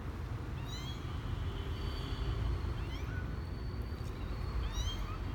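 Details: Misoka, a male kitten 12 days old, venturing out of his box for the first time on January 12, 2020: three high, thin, rising-then-falling meows spaced about two seconds apart over a steady low rumble.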